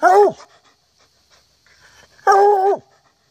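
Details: A hunting hound in October 2014 gives two deep, ringing bays, each a sustained tone that drops away at the end.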